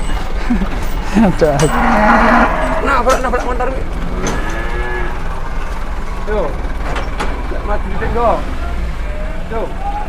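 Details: Two large cattle leaving their pen for the first time and nearly hitting a car: repeated short, bending moos overlapped by shouting men, engine rumble and traffic noise.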